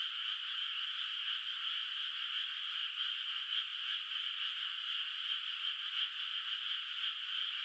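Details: In a moonlit countryside rice field at night, distant frogs keep up a continuous high trilling chorus, with slightly louder pulses surfacing about once a second above the even background.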